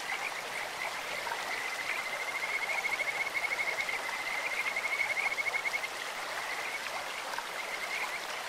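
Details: Kajika frog calling in a clear mountain stream: a high, bird-like whistled trill of rapid repeated notes on an even pitch, lasting about four seconds, over a steady rush of flowing water.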